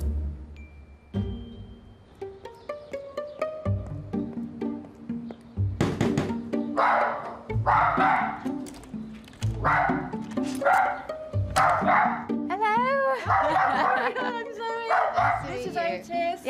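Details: A two-year-old male Dachshund in Hampshire barks in sharp, repeated bursts about once a second after a short stretch of music; he barks non-stop when left home alone.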